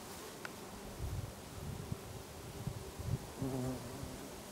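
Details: Many bees feeding on lavender in a garden in Brittany, France, in August; steady low buzzing hum with overlapping wingbeat drones, a brief louder pass near the end, soft background ambience.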